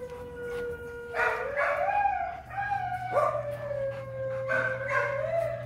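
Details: On first sight of a female, a breeder dog howls in long drawn-out wails that slide upward, break off, then resume in a wavering tone, with a low hum behind.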